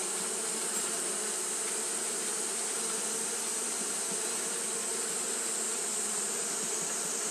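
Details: Japanese honey bees fanning continuously on a hot day: a steady, low droning hum with layered tones, unbroken throughout, over a constant high-pitched hiss.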